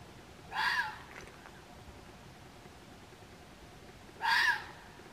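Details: Red fox calling near Waterloo, Belgium: two short, harsh, hoarse cries about three and a half seconds apart, each lasting roughly a third of a second, with quiet background between them.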